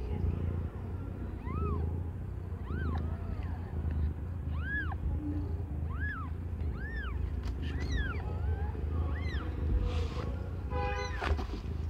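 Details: During the birth of five differently coloured kittens to Aimee, a young cat under a year old, a run of about eight arched, rising-then-falling mews repeats roughly once a second above a constant low hum.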